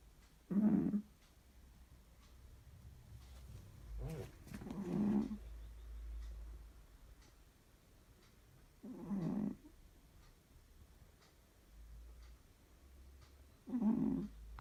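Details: Cat asleep and snoring very loudly: four coarse, rattling snores spaced roughly four seconds apart, with soft low rumbling breaths between them and a quiet indoor background.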